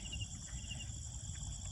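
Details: Crickets at night around the old Kota Lukut fort in Port Dickson, Negeri Sembilan, on a misty, rainy evening, make a continuous high, shimmering trill in several steady bands over a low outdoor rumble.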